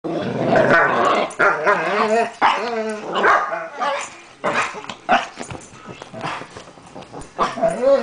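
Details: A Weimaraner and a Chihuahua do their daily evening howl together in long, wavering, tuneful wails, for no apparent reason.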